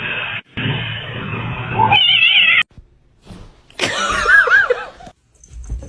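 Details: Cat in a funny kitten compilation giving short rising-and-falling meows, a brief one near the start of the second half and a wavering, repeated meow later, with abrupt cuts between scenes and background noise.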